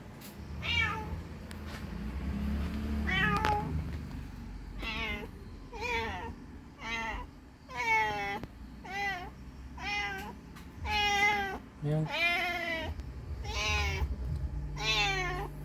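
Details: A mother cat searches for her missing kitten, giving a long run of loud meows, some rising then falling, some short and wavering, about eleven calls in quick succession over a low rumbling hum.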